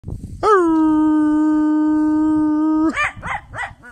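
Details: A Jack Russell terrier named Red at dusk near sunset in woodland gives one long, steady howl, then a quick series of short, arched yipping barks.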